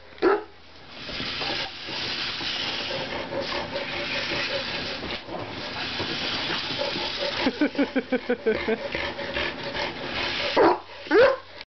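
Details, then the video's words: Louie the Chihuahua chasing cars, giving a quick run of sharp, evenly spaced barks midway, then a couple of louder yaps near the end, all over a steady roaring rush of road and wind noise with voices talking. "Louie the Chihuahua loves to chase cars!!"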